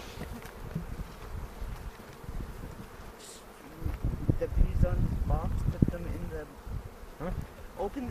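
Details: Honey bee colony humming during a hobby beekeepers' hive inspection on April 27, 2018, in foothills near Cochrane; a deep, even buzz that swells louder midway, overlaid by short bursts of human speech and handling bumps.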